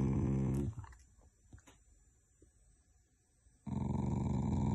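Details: Shiba Inu dog growling affectionately rather than angrily, indoors: low rumbling growl at the start, a quiet gap with faint rustles, then a loud sustained rumbling growl resumes for the last second.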